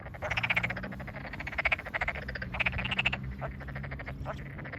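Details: Tokyo Daruma pond frogs in full chorus in flooded rice fields, countryside satoyama, 8 May 2022. Some individuals are nearby. Short rattling croaks arrive in uneven bursts, the louder ones near the start, tapering into scattered clicks, with a faint low drone.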